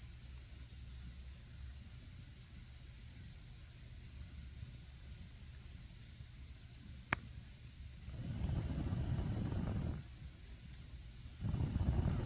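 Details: Autumn insect chorus at a solo campfire: a constant shrill trill rings unchanged, one sharp crack near the seventh second, then low rushing roars of fire or wind surge twice toward the end.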